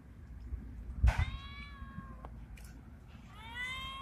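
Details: Bengal-like male street cat in heat calls to a female; a sharp knock precedes a moderately loud drawn meow, then a second rising meow begins near the end against quiet background noise.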